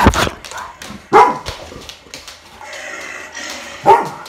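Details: Retriever dog indoors responding to a recorded lion roar, with three sharp separate barks spaced over about four seconds and low household noise between.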